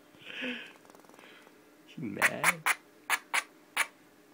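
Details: A woman speaks to her pet squirrel Pinky, then the upset female answers with six separate sharp barks spaced about a quarter to half second apart in a small room.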